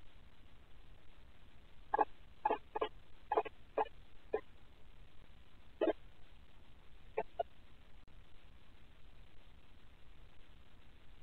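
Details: Guinea pigs kept as pets, active after lights out and recorded by a Ring night vision camera: a run of about seven short, sharp squeaks in quick succession, then two more a little later, over a steady low hiss.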